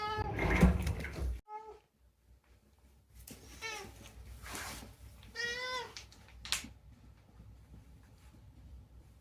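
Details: Rescued pet cat Unagi-kun chatters indoors. After a loud rustling burst comes a faint short mew, then two drawn-out, wavering meows. A click and quiet room noise close the clip.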